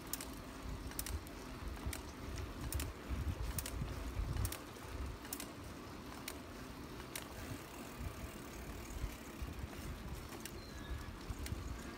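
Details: Bicycle ride outdoors with steady low rumble, wind buffeting and sharp mechanical clicks and ticks at irregular intervals; no animal voice is heard.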